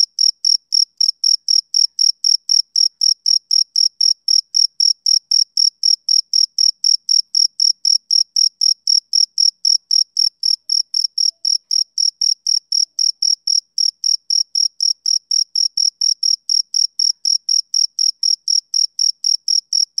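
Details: A male cricket keeps up an unbroken run of sharp, high chirps on a summer evening, about four every second, regular and metallic, in an otherwise silent background.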